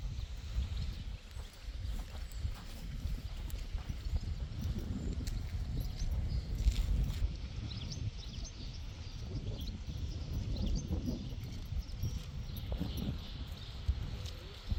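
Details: Friesian horses, foals kept with mares, moving over the ground: a steady stream of low, dull hoof thuds and scuffs throughout, with faint background noise.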